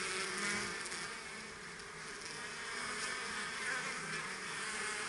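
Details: Kept honeybees going about their work, a swarm's continuous buzzing drone that swells slightly and eases, steady low hum bands with airy hiss on top.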